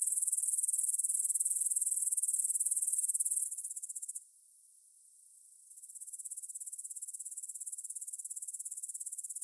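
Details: Stridulating grasshoppers at dusk, 9pm, 6 September 2020, meadow by the Svensky monastery in Bryansk, Russia; high pulsing buzz that fades, drops almost to silence for about a second and a half, then resumes at lower strength.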